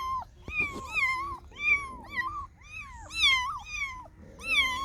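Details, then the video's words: Cats and kittens meow repeatedly, a string of clear, bending meows about a second apart, some voices higher and thinner than others, with light rustling and a short low growl-like noise in the background. "Funny Cats and Kittens Meowing Sound Effects Compilation"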